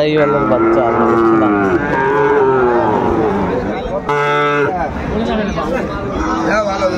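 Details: Sahiwal bull calves at a cattle market in Kurigram, Bangladesh, in March: a long low moo with clear banded harmonics, wavering and falling, then a shorter call, over crowd chatter and bargaining voices.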